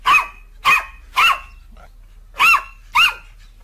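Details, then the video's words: A happy dog barks for fun in play: five sharp, ringing barks, three in quick succession, a pause, then two more, over a faint low hum. "Dogs barking out loud for fun happy dogs"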